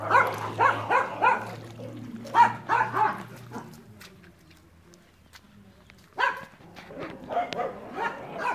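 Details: Barking from the dogs Enzo and Ozzy: a rapid run of short, punchy barks for nearly four seconds, a quiet gap, then another uneven volley of barks to the end, over a faint electrical hum.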